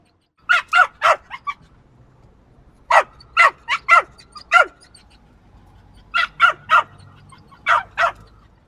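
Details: Shrill yaps from a small dog in rapid bursts of two to five, with a couple of softer yips between groups and short quiet pauses.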